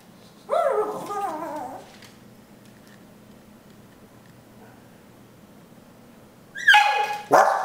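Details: Puppy greeting its owner who is coming home from work on a Friday: a short falling whine-like bark burst early, a long quiet stretch, then two sharp bark bursts at the end.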